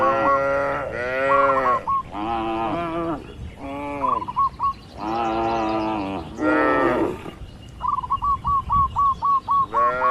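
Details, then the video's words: Tame cattle roaming free in open nature: several rich, rounded moos of about a second, closely spaced, followed by a quick train of repeated short chirps. "Sapi Lembu Jinak Bebas Berkeliaran di Alam Terbuka | Suara Alam & Moo Lucu"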